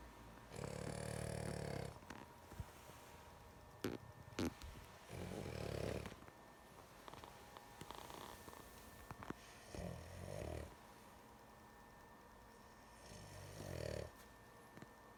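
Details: A female dog dozing off, snoring in rough bursts at uneven intervals, some short and faint, mixed with clicks and small rustling sounds nearby.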